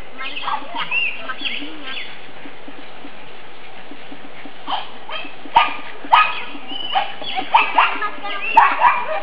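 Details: Nine-week-old pug puppies, black and fawn, tumble about a yard on a sunny spring day. A flurry of sharp yips and squeaky whines grows denser toward the end, with a person speaking.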